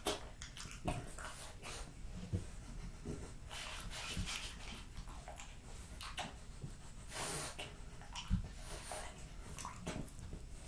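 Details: French Bulldog Jessica finishing a plate of raw lamb cutlets, beef schnitzel and BBQ pulled pork, with soft wet chewing and lip-smacking, scattered crisp clicks and bites, a sharper crunch near eight seconds and audible breathing throughout.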